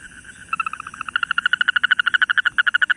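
A toad gives a fast, crackling trill of rapid clicking pulses that speeds up and grows louder.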